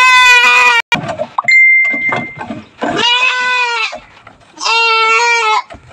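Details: Farm goats receiving vitamins and dewormer: three loud, buzzy bleats about a second each, separated by short pauses, with handling clatter and a brief steady electronic-like tone between the first two.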